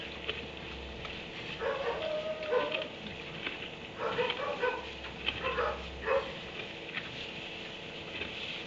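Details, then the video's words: A dog kept in a kennel in a barn barks at 3am, giving several tonal, drawn-out barks with a whining edge in loose groups across the stretch against constant low hum and hiss. "Barn 3am barking dog in kennel"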